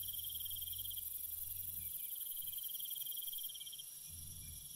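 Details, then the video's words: Night crickets chirping in a rapid pulsed trill, one long burst of about three seconds, over a continuous high-pitched insect hiss, with soft low rumbling noise in the background. "Cricket Sounds"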